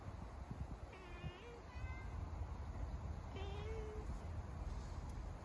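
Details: Calico community cat, a street cat, calling as it approaches on being seen before climbing somewhere high and purring; two drawn-out harmonic meows about two seconds apart, the second slightly rising, over low rumbling background noise.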